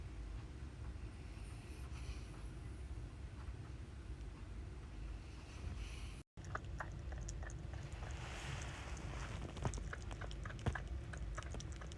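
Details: A low continuous rumble, a sudden cut to silence, then the rumble returns with scattered light ticks and taps.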